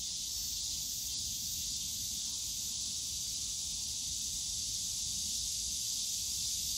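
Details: Steady cicada drone from a bamboo grove in Yongsan Family Park on a summer day, a bright continuous sizzling buzz of many insects with no breaks, low park hum faintly beneath.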